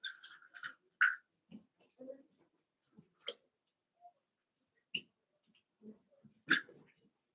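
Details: Eight Cavalier King Charles Spaniel puppies, two litters just combined, play indoors; sharp high squeaks and short yelps come in scattered bursts, mixed with soft thuds and rustles.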